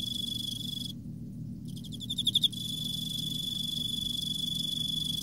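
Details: Emma field cricket singing in autumn: a steady high ringing tone breaks off briefly, then returns with a quick series of pulsed chirps before the continuous tone resumes over a faint low rumble.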